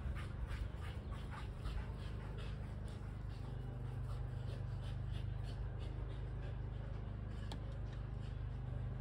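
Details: Kelpie cross and Border Collie chasing a tennis ball, breathing in quick, rhythmic, breathy pants that are densest in the first half, over a steady low engine-like hum.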